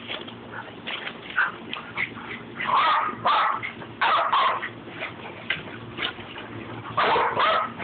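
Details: Playful scrap between the Rat Terrier Babygirl and a dog named Levi: clusters of high yelping barks in quick doubles and triples, separated by short, quieter growling stretches.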